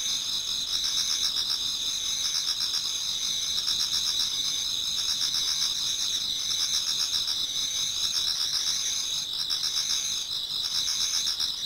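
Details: Japanese garden insects singing in autumn before dawn: high rapid trills pulse in steady rhythm, about four beats each second, while a lower chirping voice joins in intermittent bursts.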